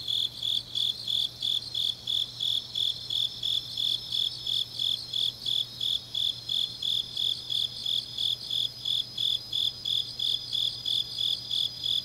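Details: Autumn night chorus of grass insects in Changnyeong, Korea: a bright, even train of high chirps, close to three per second, carries on without a break over a softer overlapping insect trill and a faint steady low hum.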